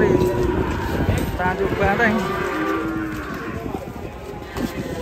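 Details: Enraged cow guarding its little calf gives drawn-out, wavering moos, several overlapping early on, then fading into low rumbling noise with music playing behind.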